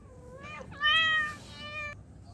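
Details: Tomcat calling toward a female: a soft rising meow, then a louder wavering, drawn-out meow that fades and trails off, against low background hum.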